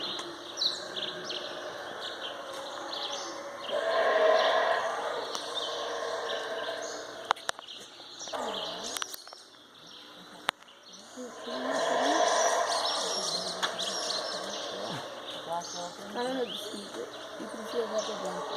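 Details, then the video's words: Howler monkeys calling at Chaa Creek, Belize: two swelling bouts of deep, rough roaring rise and fade about eight seconds apart, over a steady insect hum and scattered bird chirps. "Belize Howler Monkey noises"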